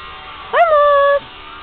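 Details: Twenty-five-day-old Belgian Shepherd Groenendael puppies out loose in the garden for the first time, still with poor sight; a single clear whine rises sharply, then holds level and fades slightly, lasting under a second, over low background hum.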